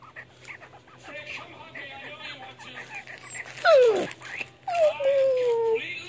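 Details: Mastiff puppy grunting: soft murmurs, then a sharp falling whine and a longer drawn-out whine that slides slowly downward, over low background hum.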